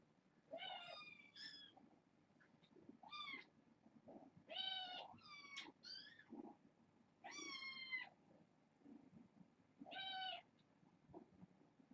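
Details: Domestic kittens at bedtime, six siblings born August 29th, indoors; a lively run of about eight high, harmonic meows, some rising and some falling, every second or so, with soft room noise between.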